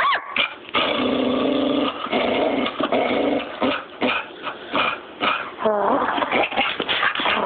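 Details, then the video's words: Dense, continuous vocalizing from Smokey the dog: overlapping barks, whimpers and growly yelps, with brief dips between bursts and a wavering whine near the end. "Smokey barking"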